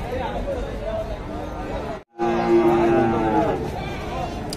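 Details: A long, level moo rings out at a crowded weekly cattle market in Dhaka, Bangladesh, on 24 September 2022. Voices and general market bustle are heard around it.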